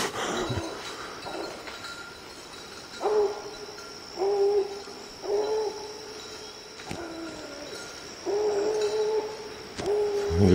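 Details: Lillie, a young hound out hunting in the evening, calling at treed quarry: separate long, level, hollow bawls spaced a second or two apart, with quieter pauses and faint rustling between them.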